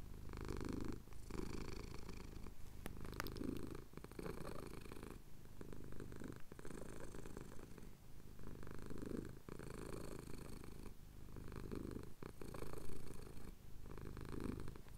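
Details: Low continuous purring from a male pet cat having his chin scratched, captured at sunrise in the Cotswold hills on a Tascam DR-07X; the rumbling rises and falls in regular breathing cycles, separated by brief quieter gaps.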